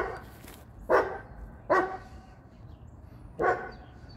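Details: Dog barks, from a household with a female Boerboel, a male American Bully and a female Serbian Defense Dog. Three hefty, broad barks, two close together and a third after a pause, over faint background noise.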